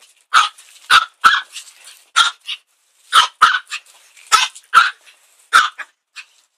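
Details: A Chihuahua barks at a broom, giving a lively string of around eleven shrill yaps over six seconds, often doubled, with faint softer yips trailing some barks.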